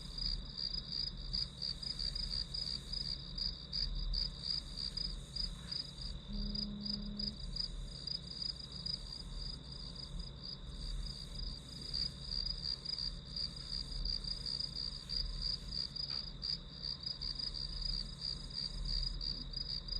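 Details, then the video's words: Grass insects as study background noise: high, ringing chirps pulse steadily about three times a second in a continuous band, over a low rumbling hum with a brief low tone near the middle. "풀벌레 소리"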